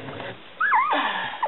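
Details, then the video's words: A week-old Smooth Coat Collie/Coon Hound/Pomeranian puppy from the litter of Bella, Kooper and Boy lets out one long wavering squeal that rises, dips and falls, with faint background noise. "1 week old Smooth Coat Collie/Coon Hound/Pomeranian puppies"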